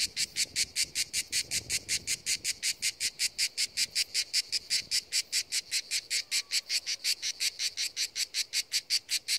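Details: Cicadas singing at the seaside; a high, buzzy, pulsed chirring repeats at a steady rate of about five pulses per second throughout, with little else audible beneath it.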